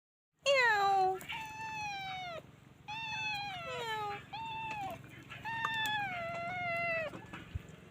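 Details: Stray kittens with their mother cat give a run of loud, clear meows, mostly high falling or level wails, four to five in quick succession with short gaps, over a steady low hum.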